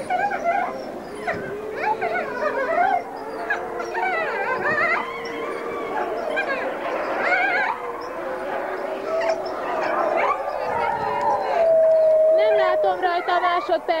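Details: Grey wolf pack howling in chorus while one wolf greets her hand raisers; overlapping sustained, wavering howls around mid pitch, with higher yips and whines layered over them and a long clear howl near the end.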